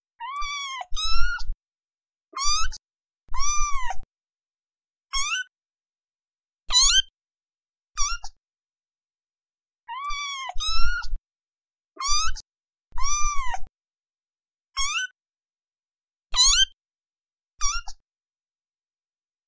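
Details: A cat gives a long series of about fourteen meows over twenty seconds. Some are drawn-out arching cries and others are short rising chirps, with brief silences between them and a soft low thump under each one.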